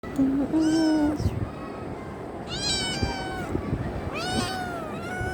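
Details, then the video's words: A kitten wanting affection meows three times, about every two seconds. Each meow is a clear, tonal call that rises and then falls. A low murmur and a faint background hum run underneath. "Cute kitten wants love"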